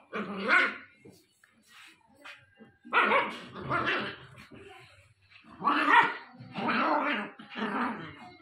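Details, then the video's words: Angry Japanese Spitz puppy, aged 60 days: sharp, harsh barks in clusters, one near the start, then pairs and triplets after a short pause, loud and close, with near silence between bursts. "Cutest puppy Angry (60 days) Japanese Spitz Puppy"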